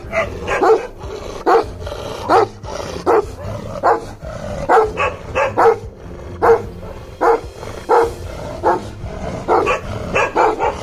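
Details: A Bhotia (Himalayan Sheepdog) of a rare colour, in Uttarakhand, barks steadily, deep single woofs repeated a little faster than once a second.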